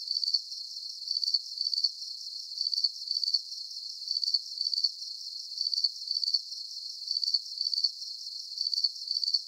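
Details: Calming cricket sounds: piercing, rapidly pulsed chirps paired together and repeated about every one and a half seconds, a regular rhythmic pattern over faint background hiss, nothing low-pitched present.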